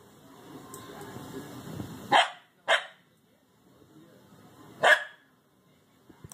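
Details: Oberyn, a six-month-old Corgi puppy still scared of going down stairs, barks twice in quick succession, then once more about two seconds later, with a person's encouraging voice before.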